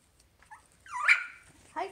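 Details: Havanese puppies at play on a Friday morning: one short, high whining yelp that rises and then falls away, with fainter yips before it and a woman's voice greeting the puppies by name.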